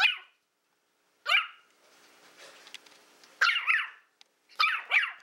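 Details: Willow, a female Toy Fox Terrier born April 2012, playing indoors with a pig's ear: four sharp, high yapping barks spaced about a second apart, with soft rustling and chewing between them.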